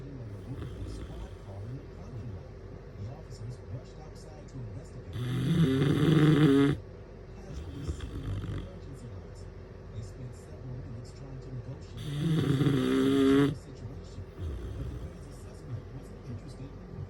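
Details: A female bloodhound puppy snores, giving two long, rasping, rumbling breaths about seven seconds apart; Bloodhound.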